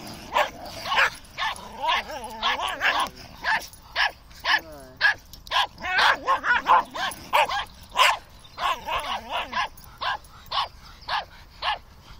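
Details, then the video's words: Playing terriers, among them a Fox Terrier, Maltese and Dachshund, chasing and nipping each other: rapid, irregular high barks about twice a second throughout, mixed with whiny wavering yelps and growling. "Terriers shouting and running about"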